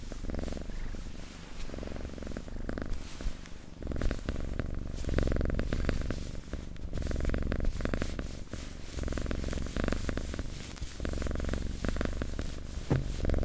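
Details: Close-miked purring house cat in an ASMR recording: a continuous deep vibrating rumble rising and easing in breath-paced waves, with occasional light touching or rustling sounds.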